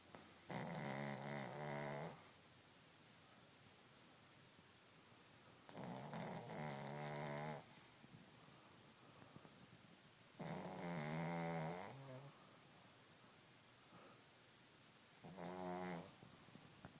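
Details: Snoring from Cassie, a sleeping dog: four buzzy, harmonic snores of one to two seconds, coming roughly every five seconds with quiet breathing gaps between.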